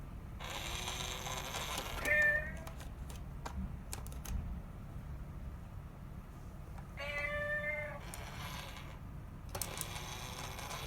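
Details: Rescued mother cat and kitten: three drawn-out meows with rich harmonics, near the start, around seven seconds and near the end, separated by quiet spells with light tapping and clicking sounds.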